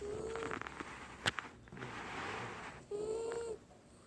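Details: Benji, a sleeping Wiener dog, snoring hard: two short whistled nasal tones, each rising slightly, separated by a long breathy rasp, with a sharp click between them and faint room noise.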